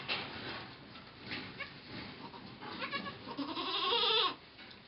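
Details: Goat during birth of twins, recorded 2 November 2011: faint scattered bleats early, building to a longer wavering bleat near the end over a noisy background.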